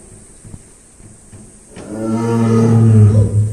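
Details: Tiger at Ehime Prefectural Tobe Zoo in Tobe, Iyo District, Ehime, Japan, growling after drinking water. Quiet at first, then a deep, harmonic growl swells in from about two seconds and peaks near three seconds.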